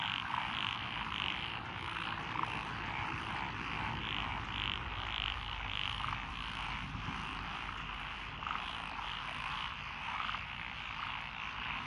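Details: Frog chorus from lotus rice paddies beside a country lane in Echizen, Fukui, Japan, June 12, 2021, with Japanese tree frogs, Tokyo daruma pond frogs, wrinkled frogs, Schlegel's green tree frogs and forest green tree frogs: dense overlapping croaking, low rumble underneath.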